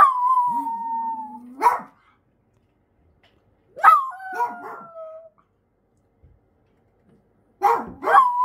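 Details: Thirteen-year-old Miniature Dachshund Choco, under palliative treatment for a brain tumour, howls out of fear and loneliness; a level wail over a lower wobbling answering howl, then a second falling howl after a yelp, and a final rising yelp-howl.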